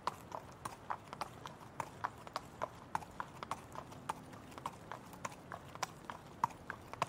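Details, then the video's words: Trotting horse producing crisp clip-clop hoof strikes in a quick, slightly uneven rhythm, about three per second, with a soft hiss behind. "Horse Trotting"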